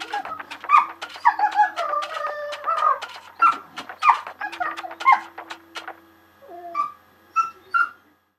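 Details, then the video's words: A dog singing along to music: wavering howled notes that slide and waver over a steady low instrumental drone, rising to higher short whines near the end. "dog singing music"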